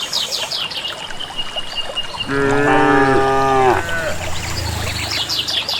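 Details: Village cattle heading to grassland pasture as a herd, walking steadily on their own; one sustained harmonic moo of about a second and a half, slightly falling at the end, with chirping birds and low rumble around it.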